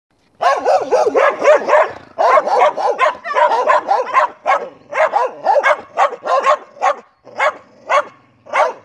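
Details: Three neighborhood dogs barking: a dense run of sharp, rough barks in quick succession for about two seconds, then a steady string of separate loud barks roughly every half second, somewhat irregular, continuing to the end.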